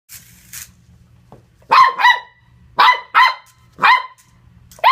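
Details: Corgi puppy barking while playing with a remote-control car: sharp, high yelps in quick pairs and singles, about one burst per second, with a low motor-like hum between barks.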